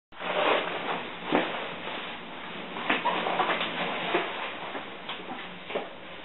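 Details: Beagle named Kallie, alone indoors about two minutes after her owner left, gives harsh, hoarse screaming cries in repeated bursts, strongest near the start and again at intervals, echoing in a small room.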